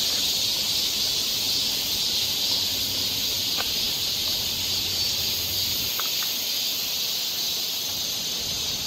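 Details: Continuous high buzzing of cicadas in a Korean summer forest near Seoul, steady and shimmering, with a couple of short faint clicks or chirps partway through.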